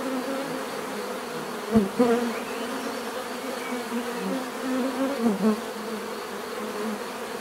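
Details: Natural buzzing of bees, a continuous low droning hum with layered overtones, a few louder surges near two and five seconds as bees fly nearer, with faint ambient hiss behind.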